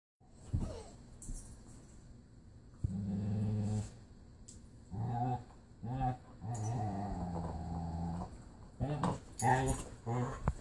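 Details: Pit bull Marley playing indoors with his foster sister, who sounds like a Wookie; rough growling and harmonic groaning bursts come in uneven spurts with short quiet gaps between, some scuffling noise.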